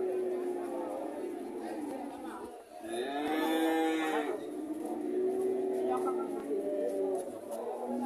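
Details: Relaxed heifer cow at an Indonesian livestock market lowing in steady, deep, sustained moos. A brighter, louder bellow swells midway before the moo settles back into a level drone, with murmuring people nearby.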